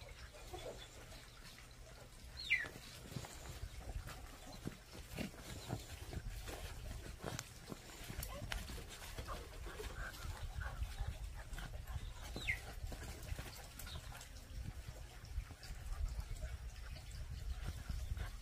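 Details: Pungsan dog puppies (Canis lupus familiaris) growl and yelp in short squeaky bursts while play-fighting and scuffling over rank.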